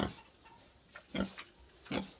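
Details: Domestic pig giving three short, rough grunts spaced roughly a second apart, each a broad, noisy burst with a low core, and softer snuffling sounds in between.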